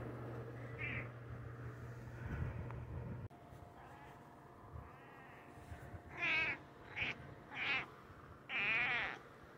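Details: Pet cat named Dodger trading meows with a person who imitates it; a soft meow early on, then four short, harmonic meows after six seconds, with faint background hum and low rumble.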